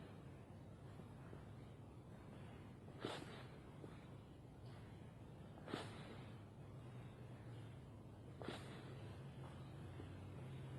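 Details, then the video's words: A female fox called Foxy, asleep, snoring: three short, sharp breathy huffs roughly three seconds apart, each a brief broadband puff, set over a steady low hum. "Foxy snoring and barking in her sleep."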